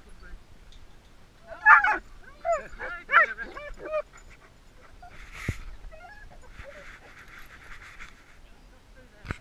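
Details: Dogs greeting their owners on pickup after 3.5 weeks away in Kamchatka: a burst of excited, wavering high whimpers and yelps over about two seconds, then quieter pauses with a soft whine and a clatter.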